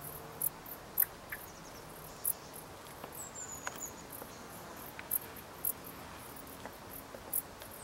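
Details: Dark bush cricket (Pholidoptera griseoaptera), song.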